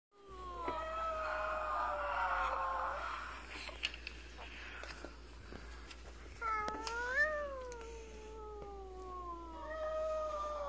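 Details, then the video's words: Pet Chihuahua, a five-year-old male, howling at home, said to be sad because a female nearby is in heat; long sliding tonal wails with rich harmonics, one falling then a rising-and-falling howl, with a person's voice between. "Muppet howling funny Chihuahua dog"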